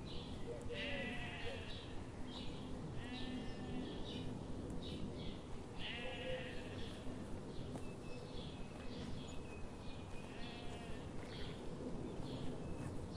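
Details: Grazing sheep in a sunlit morning forest bleat repeatedly, several quavering calls clustered close together and then spaced out, above a constant low background hum.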